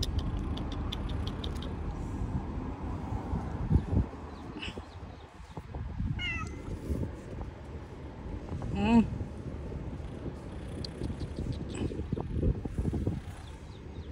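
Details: Homeless cats living on the street give short, wavering meows, a few scattered calls including a quavering one midway, against constant low street noise with occasional knocks.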